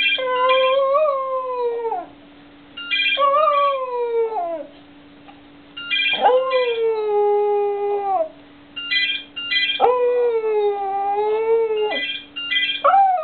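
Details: Cocker Spaniel 'singing': series of drawn-out howls, each level then sliding down in pitch, repeated every three to four seconds, alternating with short bright electronic ringtone-like beeps.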